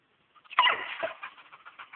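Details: Weimaraner dog giving one sharp, harsh bark, followed by a series of softer, wavering whiny sounds that fade out.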